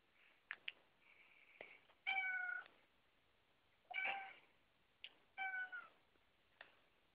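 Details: House cat in a home with several cats, one leaping onto a door as another watches; three clear, slightly falling meows about every one and a half seconds, mixed with clicks and thumps.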